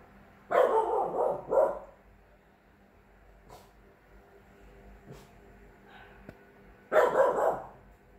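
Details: Chow Chow x French Bulldog puppy, 3 months old, playing guard dog: a quick run of three gruff barks, then a quiet pause with small knocks, then another burst of rough barking near the end.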